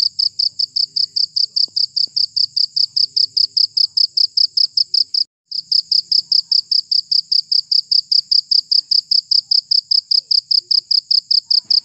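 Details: Cricket. A cricket keeps up a shrill, high chirping, with bright pulses in an even, rapid rhythm of several per second. The trill breaks off once for a moment before resuming unchanged over a quiet background.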